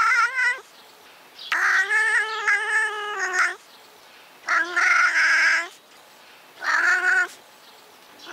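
European wildcat giving four drawn-out, wavering yowls, the longest about two seconds, harsh and nasal with a slight rise and fall; nothing else heard.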